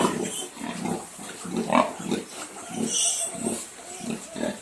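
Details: Several Duroc piglets at a farm in Assam grunt in quick low bursts, about two a second, with one louder squealing note near the middle and a brief high rustle.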